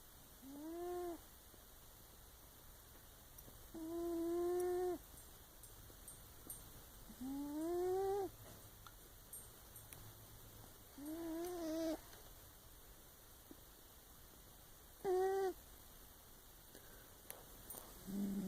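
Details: Pet cat sleeping indoors, heard in a series of drawn-out, rising-then-falling meows, roughly six calls spaced a few seconds apart, with faint background hum.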